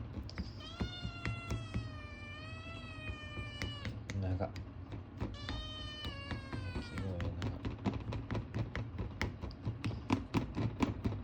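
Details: Male Ragamuffin kitten, born 9 March 2022, making strange noises to ask for food: two long, drawn-out, slightly wavering meows of about three seconds each, then a run of sharp clicking taps.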